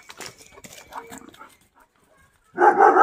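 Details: German Shepherd named Jack, kept as the family's guard dog at home. Soft voices and rustling come first, then one loud, harsh, broadband bark burst fills the final half second.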